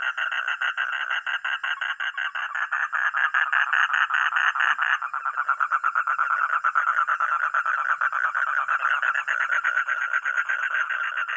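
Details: A frog or toad keeps up a dense, rapid pulsed croaking for over eleven seconds, nearly three pulses per second, uneven in spacing. A faint constant high tone runs behind it.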